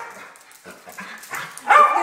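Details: Pet dogs at home during a playful morning routine before a treat run, an 11-year-old Mini Schnauzer, a 9-year-old female Basset and a 2-year-old Yorkie among them; soft yips build to one loud sharp bark near the end, with a woman's voice nearby.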